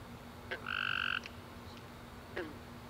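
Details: One loud buzzy trill from a tree frog at night after a rainy summer day, lasting about half a second, framed by soft clicks before and after against a quiet background.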